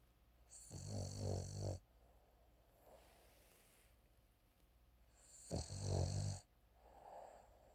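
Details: A sleeping Frenchton dog that gets startled, snoring indoors in two loud, rasping bursts about a second long, separated by about four seconds of quiet breathing, with a hissy edge to each snore.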